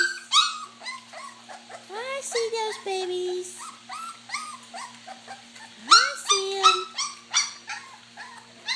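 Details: Several puppies eating mash give high, squealing whines and yelps in quick irregular bursts, some rising then falling in pitch, with a person talking softly to them.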